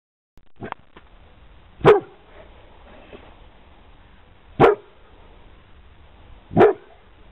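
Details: Pit Bull barking: three single, loud, deep barks spaced about two to three seconds apart against a quiet, faintly hissy room background, with a faint thump at the start.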